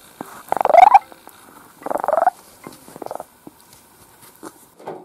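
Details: Pet kitten Dufy, between two and ten months old, recorded at home from June 2018 to February 2019: two loud, rough, pulsed meows with a rising trill near the start and at two seconds, followed by softer short chirps.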